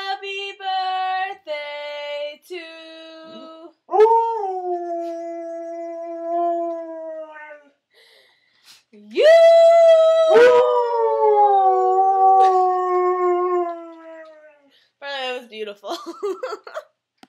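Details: A singing Otterhound mix holds long howls that start with short repeated notes. These swell into loud, level, sustained tones that slowly fall away, with a cluster of shorter, broken cries at the close.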